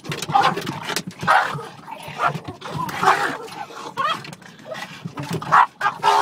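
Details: Two Boston Terriers attack a car's rear window wiper, giving sharp, excited barks and yips in quick bursts, with some human voices behind.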